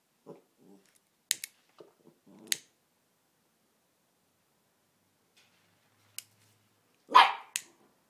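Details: Three-month-old West Highland White Terrier puppy reacting to a lighter being switched on: scattered faint clicks and small sounds, then one loud, sharp, broadband bark near the end followed by a shorter yelp.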